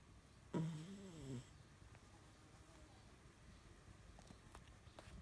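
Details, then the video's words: French Bulldog named Esme snoring while asleep: a single low, rasping snort with a wobbling pitch, just under a second long, followed by several seconds of quiet room tone and faint clicks. "Esme French Bulldog Snoring"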